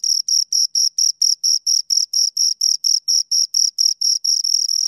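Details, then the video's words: Close, shrill stridulation from two crickets: short high chirps beating steadily about four times each second, the last pulses running together into a continuous trill, no other sounds. "Two Crickets Chirp Sounds"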